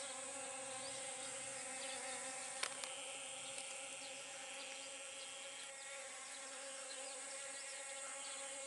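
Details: Honey bee working pumpkin flowers during pollination: a steady, low droning buzz with a rich stack of overtones holds through the whole stretch, over a constant thin high hiss, with a sharp click near the middle.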